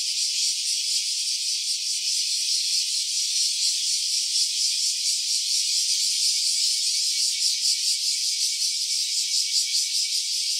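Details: A cicada recorded in stereo on a phone with a handheld-recorder app makes a continuous, dense, high buzzing drone with a fine rapid pulsing throughout and no pauses.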